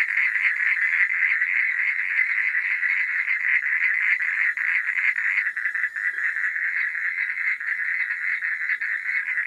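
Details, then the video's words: Many frogs calling after dark, a thick continuous trilling croak with slight pulsing swells, steady in loudness, and a faint high insect hum behind. "Suara Katak di Malam Hari"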